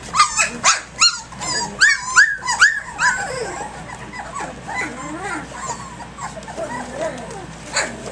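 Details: A lively litter of puppies just over three weeks old, playing at dawn: a quick run of about eight arching yelps and squeals, then softer scattered whimpers and low chatter as the play quiets.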